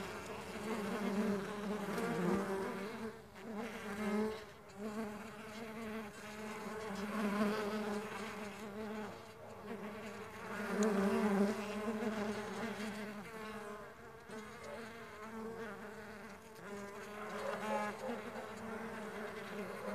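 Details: Buzzing of stingless bees kept on a bee farm, many wings humming together in a steady low drone that rises and dips in loudness every few seconds across the whole recording.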